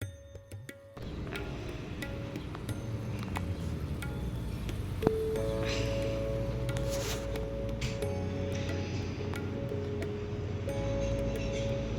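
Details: Gentle music with chimes and a sitar-like drone over a steady background hum; no animal sound is heard.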